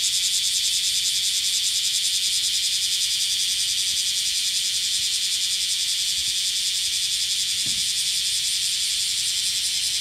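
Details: Black cicadas during a hot summer in Kyoto, western Japan: a loud, unbroken, high buzzing drone with fast, even pulsing throughout. A few faint low knocks sound underneath.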